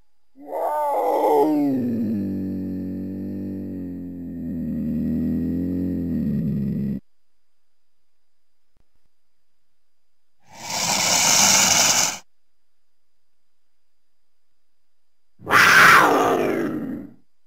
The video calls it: Cougar Mountain Lion Sounds